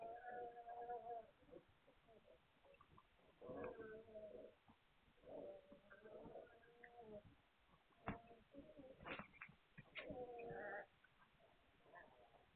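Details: Vizsla pups of the Hungarian breed, filmed 9 March 2021. Plaintive wavering whines of a second or so repeat in a loose series, broken by a few sharp yelps and squeaks, over steady background rustle.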